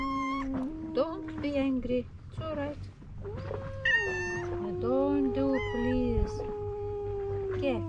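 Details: At the seaside in Istanbul, two male cats that do not like each other trade loud wavering yowls: rising and falling moans overlapping in quick succession, then one long, slowly dropping howl.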